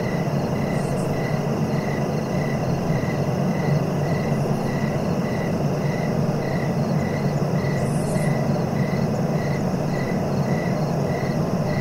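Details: A cricket keeps up an even train of short chirps, about three each second, against heavy low background rumble, with a few faint brief high-pitched sounds in between.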